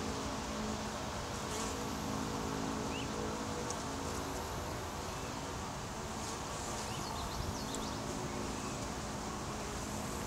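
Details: Honey bee swarm massing on a small tree branch, a dense steady hum of many wings with low droning tones underneath, continuous for the whole stretch, faint high chirps of birds scattered above.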